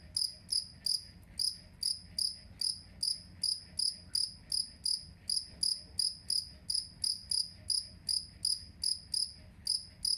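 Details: Two-spotted cricket (jangkrik kalung) kept as a master voice for songbird training, chirping without pause for ten seconds: piercing, tinny pulses about three a second, each with a slight trailing ring.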